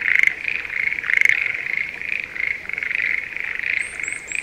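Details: Schlegel's green tree frog in breeding season, calling from rice paddies near Sendai, Japan, in spring: a fast, steady series of rattling croaks repeated several times a second, with a few sharp chirps from another caller near the end.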